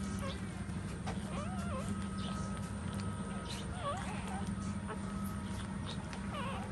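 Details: Nursing puppies feed from a mother dog that stands. Thin, wavy whimpers bend up and down in short runs every second or two, above a constant low hum.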